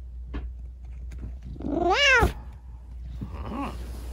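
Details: Rescued kitten with injured legs after an accident, chattering at night: one loud, long arched meow, then a quieter short meow about a second later, with light handling noises and low hum.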